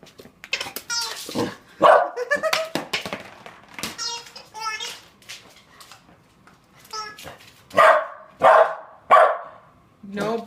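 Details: Puppy reacting to a new noisy toy ball, giving a few short barks among adult and child speech. Three loud barks come in quick succession near the end, with people talking over the earlier part.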